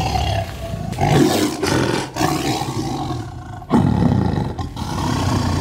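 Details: Sumatran tiger roaring from about two meters away, captured on simple equipment: deep, rough, rumbling bursts heavy in the low range, one dropping away near the middle before a fresh loud surge, over a steady faint background hum.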